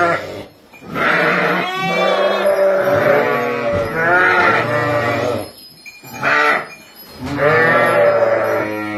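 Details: Sheep at Kafr al-Labad near Tulkarm, a flock of ten ewes with four lambs, giving a run of about five quavering bleats, some overlapping, with short gaps and faint higher tones in the background.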